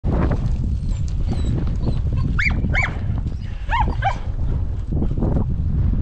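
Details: Podenco hunting dogs during a rabbit hunt with dogs alone, giving four short arched yelps in two pairs, over constant low wind rumble and a man's voice.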